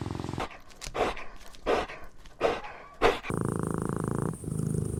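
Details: Puppies of small breeds such as Pomeranian, Chihuahua, Maltipoo, Poodle or Bichon Frisé at play: four short, sharp barks spaced under a second apart, followed by a steady droning hum.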